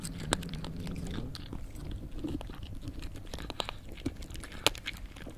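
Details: A cat chewing food, giving crisp crunching and snapping bites at irregular intervals, with a sharp crack late on, all against a faint low droning hum in a small room.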